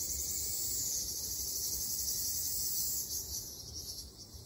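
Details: Summer forest in Okinawa with Ryukyu large brown cicadas: an intense, steady high buzz that eases and thins out over the final second, above faint low background noise.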